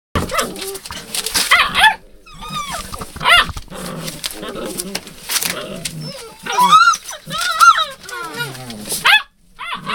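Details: Hound puppies filmed 02/08/12 under the name Rosebud: high squeaky whines that arch up and fall, clustered in bursts around two, three and seven seconds, with people talking softly between them.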